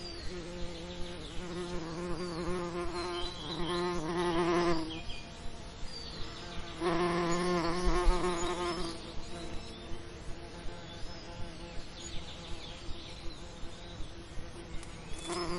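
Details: Bee buzzing in summer lavender: loud droning hums with wavering pitch surge near four and eight seconds as insects fly close, then fade to a quieter hum, with steady soft clicking throughout.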